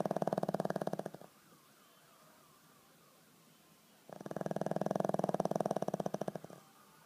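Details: Skol the pug snores in its sleep: two strong, fluttering, rattly snores about a second and two seconds long, separated by a few seconds of quiet.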